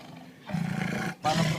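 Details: Lion fed pork meat, angrily guarding its food: a deep, rough growling roar starts after a half-second pause, breaks off briefly, then resumes loudly.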